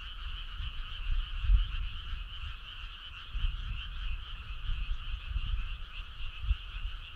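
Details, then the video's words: Frogs singing in chorus on a summer night along a starry rural road, rapid rhythmic pulsing croaks in twin bands, steady and unbroken, over faint low-pitched rumble. "Cool frog sound"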